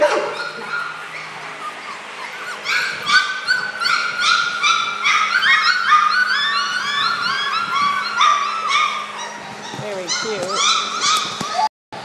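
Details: A lively chorus of fast, overlapping yips and whimpers from a litter of four-week-old puppy boys, busy licking and tail-wagging, with softer music or voices underneath and a sudden cutoff near the end.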